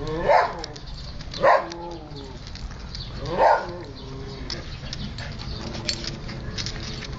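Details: Siberian Husky puppies playing and eating: three sharp, harmonic-rich barks about a second apart in the first half, then a quieter stretch with faint background noise.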